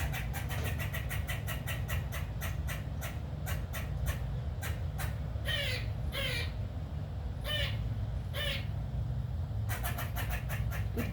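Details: Squirrel harassing a cat: fast runs of sharp clicking chatter, broken by four hoarse, wavering squawk-like notes midway. Low rumble of traffic or hum underneath.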